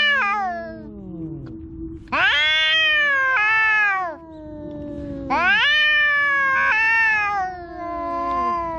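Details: Cat calling loudly with drawn-out, harmonic meows that rise then fall, two long cries after a fading opening meow, steady low hum underneath.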